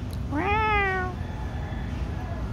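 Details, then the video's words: Domestic cat crying when held, one clear meow that rises quickly, holds briefly, then slides downward and fades, against a quiet background. "stop crying when I hold"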